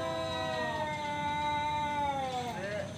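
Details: Male cat calling out for a fight, one sustained nasal yowl held steady for over two seconds before a brief twisting drop at the end; a man's voice urges the cats on.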